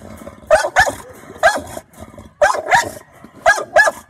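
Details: American Bully standing guard, barking in quick doubled bursts about once a second, each bark rough and loud, with faint growling in the gaps.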